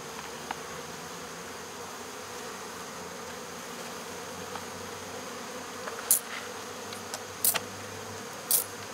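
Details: Swarm of honey bees being caught and removed at local baseball fields, a continuous massed buzz with a low hum, broken by a few sharp clicks or taps near the end.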